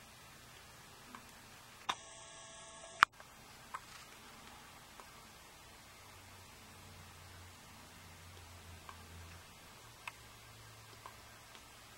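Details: Only an electronic beep-like tone, clicks, ticks and a low hum are heard, with no animal voice.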